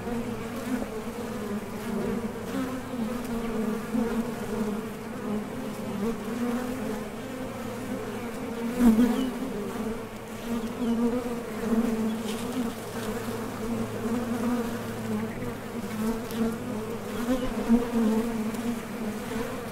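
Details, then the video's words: Steady drone of many honey bees at the entrance of a top bar hive as foragers land and take off in search of nectar; low sustained hum with one loud close pass midway. "HONEY BEES Sound Effect #MasonJar | BEES BUZZING"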